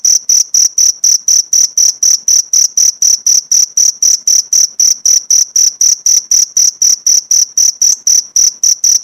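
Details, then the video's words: Cricket chirping, recorded as a training track for caged oriental white-eyes (pleci), with pauses of one to two minutes: a steady run of sharp, high, ringing pulses, about four a second, evenly spaced with no other sounds. "Masteran jangkrik untuk isian burung pleci mewah jeda 1-2 menit"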